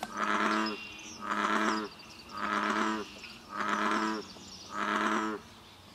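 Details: An American bullfrog at Basha Kill, New York, in May gives five deep, droning, resonant notes, each under a second long and about a second apart, over a quiet background.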